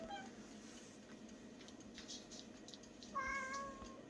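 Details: Shelter cat Bomi, praised for a pretty voice, at an island-village rescue home for about 40 cats and dogs; a faint brief mew opens, then a long stretch of low room noise before a clearer short meow near the end.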